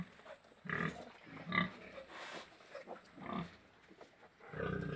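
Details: Farm pigs in Golaghat making a series of short harsh grunts and snorts, some with a brief squealing edge, spaced irregularly across the recording.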